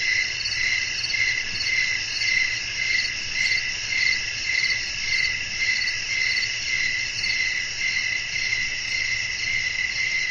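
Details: Nocturnal crickets in a peaceful outdoor setting with wind: bright continuous trilling at several pitches, its loudness rising and falling in steady beats, with a faint low rumble beneath.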